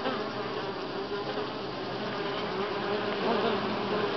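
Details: Short burst of honey bee buzzing at Grass Lake Sanctuary, week 6, July 25, 2011. A full, unbroken hum of many bees swells slightly toward the end.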